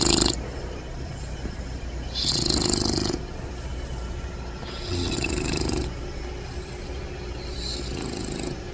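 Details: Sleeping Bulldog puppy Bentley, lying upside down, snores in rough rasping breaths roughly every two to three seconds, some louder, some softer, with faint whistly wheezes between them.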